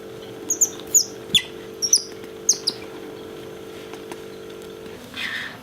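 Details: Pet otter Bingo squeaking at the sight of his beloved orange towel: a string of short, high chirps that slide downward, some doubled, spaced irregularly, over a steady low indoor hum.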